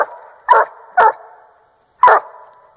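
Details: Treeing Walker hound aged 1½ years baying up a tree at a raccoon, Northern Missouri: three sharp, echoing barks, the first two close together and the third after a short gap.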